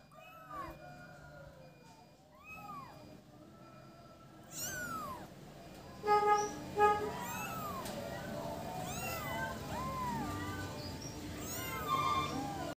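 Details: Several kittens playing together, giving short arched high mews again and again. The mews overlap and grow busier and louder from midway, over soft background music.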